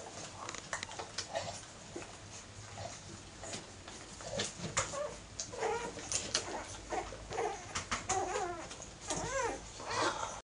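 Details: Ten-week-old Airedale Terrier pups from a 2016 litter whine in arched, rising-then-falling cries, clustered near the middle and end, over steady rustling and sharp tapping clicks.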